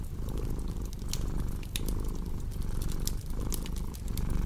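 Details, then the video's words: Deep rumbling purr from a cat, rising and falling in short rhythmic cycles, under frequent bright crackles and pops from a wood fire, presented as a relaxing, sleep-inducing mix. "Purring Cat with Cozy Crackling Fireplace Sound"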